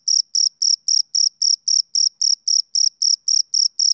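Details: Shrill rhythmic chirps from a male cricket on a summer evening, about fourteen evenly spaced high pulses, each brief and buzzy, nothing else audible.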